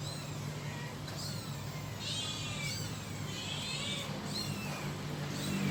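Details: Kitten calling its mother with a series of faint, high, slurred meows about every half second to second, partly masked by steady hum and passing vehicle noise.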